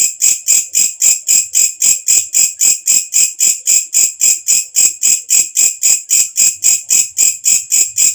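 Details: Katydid (walang kecek) calling loudly at night, its sound used to tutor birds: crisp, high, rasping pulses in a rapid, metronome-like series of roughly 3.7 per second against a silent background.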